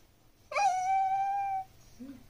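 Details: Pembroke Welsh Corgi puppy indoors watching its owners at dinner and vocalising for attention: a single sustained, steady, clear whine lasting about a second, rich in even overtones, with a brief faint low sound afterwards.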